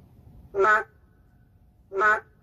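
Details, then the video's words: Endangered narrow-mouthed frog calling in the city: two short nasal, bleating croaks about a second and a half apart, each a brief harmonic burst, over a quiet low rumble. "도심 속 멸종위기 동물 맹꽁이 울음소리 (Narrow-mouth frog crying sound)"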